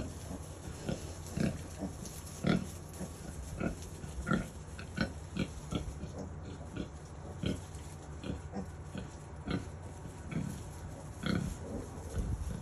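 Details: Kunekune mother pig with newborn piglets, born early morning on 7/6/23, giving a steady run of low, soft grunts and snuffles, many short pulses over the stretch, occasional sharper higher squeaks.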